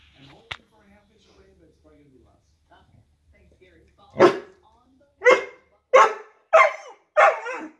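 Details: Woody, a pet dog going wild at something heard or sensed outside the window, opens with faint low sounds and a click, then gives five sharp, loud barks in quick succession, about one every three-quarters of a second.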